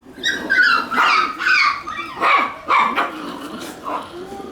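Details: Shiba Inu puppies playing chase; a quick series of high, yappy barks and yips in bursts about every half second, with faint background noise.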